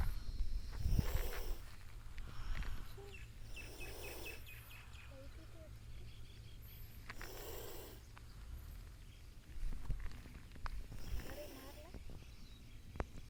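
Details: A small chameleon, provoked, hisses in defence as a threat: four breathy, broadband hiss bursts about every three seconds, each lasting under a second, over a low steady rumble with faint clicks between them.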